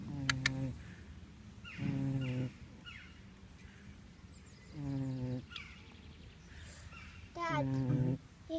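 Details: Snoring pig, with four deep buzzing snores spaced irregularly two to three seconds apart and a few sharp clicks near the start.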